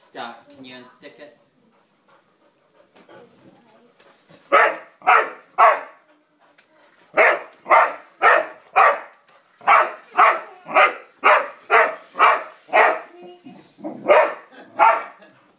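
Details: ['Roxy the dog barks at a yellow toy car she does not seem to like. Human speech comes first, then bursts of sharp barks at a quick, slightly uneven pace, roughly two per second.']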